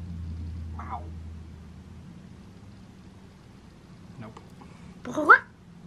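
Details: Butters the cat gives a short, loud 'mreh' that rises in pitch near the end, after two fainter brief calls, over a low steady hum.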